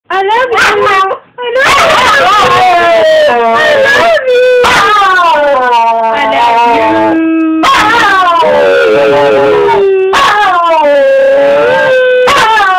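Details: Snoopy, a Wire Fox Terrier, howls in excited greeting as its owner comes home for the weekend: long, wavering, tonal wails that slide up and down, broken by brief pauses and a sharp gap near the start.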